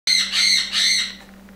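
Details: A wild red fox in the snow in a yard gives three harsh, raspy, high-pitched calls in quick succession.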